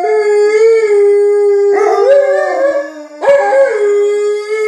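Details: Alaskan Malamutes indoors calling out to make sure people outside know they are in the house: a loud, sustained, wavering howl with rich harmonics, shifting pitch in steps, with a second voice joining partway through.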